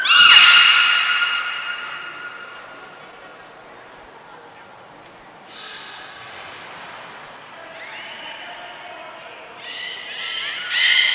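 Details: Belugas in training at Port of Nagoya Public Aquarium, Japan, 10 February 2024 (Gray, Nana and Mirai): a loud opening harmonic tone fading out, a quiet stretch, then a few stepped, rising squeaky calls ending in another strong burst.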